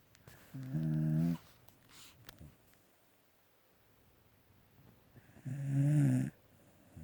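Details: Sleeping pet dog snoring indoors in a small room: two loud, low, droning snores, each under a second long with stacked harmonic bands, separated by about four seconds of quiet breathing and faint rustling.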